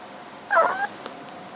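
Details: Female domestic cat, about one year old and a former stray rescued at two months, meows while hiding during hide-and-seek, wanting to be found: a single short, slightly falling meow of about a third of a second over faint room hiss.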